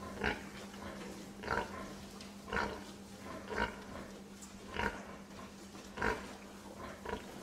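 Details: A pig gives deep, separate grunts spaced a little over a second apart, each one short and rough, over a constant low background hum.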